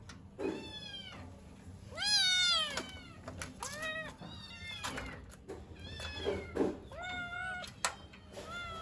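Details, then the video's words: Kittens wanting their mother, perhaps cold or hungry, give a run of separate arched meows about one per second, some louder and longer, with knocks and light handling noises between. "Kittens meow so cute(The kittens wanted their mother)|kittens sounds"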